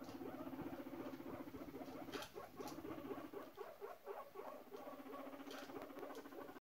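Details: A guinea pig, seemingly courting while wiggling its rear, gives a low, throbbing rumble, pulsing steadily several times a second.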